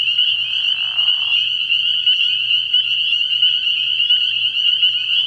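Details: Spring peepers fill a frog pond at night in early spring with dense, high overlapping peeps. A short soft rustle opens the passage, and a faint low hum pulses underneath.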